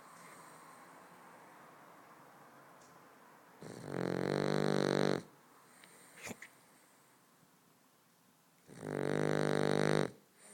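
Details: Boston Terrier snoring while asleep indoors: two long, loud rasping snores about five seconds apart, each lasting over a second, with quiet breathing between them.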